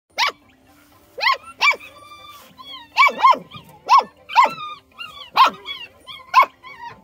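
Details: Belgian Malinois puppy hanging out in a field at a ranch, giving a series of sharp, clear barks with rising-falling pitch, roughly one every half second to second, some in quick pairs, over a quiet background.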